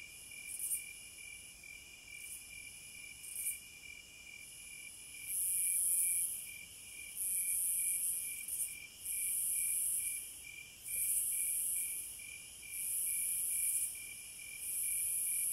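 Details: Cicadas in the wild, a high hissing drone that starts in short irregular bursts, then settles into swelling pulses about a second long, with a steady, rapidly pulsed high chirping layer running underneath throughout.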